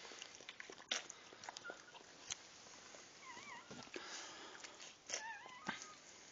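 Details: Newborn puppies just after birth, giving thin wavering whimpers in two short bursts, the first in the middle and the second near the end, over steady rustling and scattered clicks.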